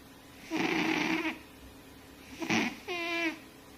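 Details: Sleeping fat cat snoring: two rough, noisy rasping breaths followed by a smoother wavering nasal whistle, each lasting under a second, in a quiet indoor setting.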